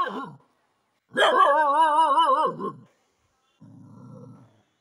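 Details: Dog giving a drawn-out wavering howl-like vocalization lasting about a second and a half, preceded by a short falling yelp and followed by quiet low noise.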